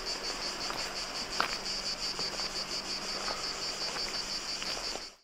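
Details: Cicadas sing beside the Roman Aqueduct of Nicopolis near Agios Georgios, Preveza, Greece, a river flowing to the left: a loud, high, continuous rattling buzz beating in rapid regular pulses, with a low hum underneath.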